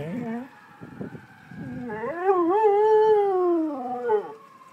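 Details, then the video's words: A dog howling along with fire engine sirens gives a few low whines, then a long wavering howl that climbs, holds and slowly falls away. "howling dog"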